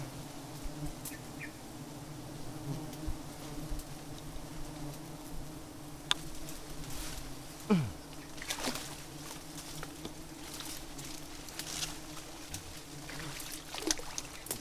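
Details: Giant honey bees droning during a honey harvest that yielded nothing: a steady low buzz with frequent crackling, tapping and brushing noises, and one louder thump midway.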